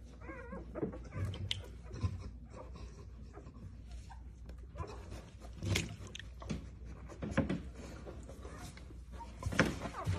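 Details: Giant Schnauzer giving birth to a puppy indoors: soft whimpers and high whines in scattered bursts, with panting breaths and rustling in between.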